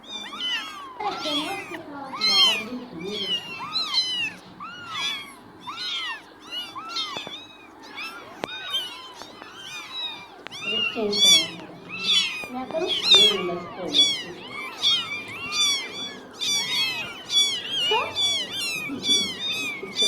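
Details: Newborn kittens in their first fifteen days after birth, a litter calling constantly with thin, high, arching meows that overlap and come in quick, uneven succession, with some lower cries mixed in.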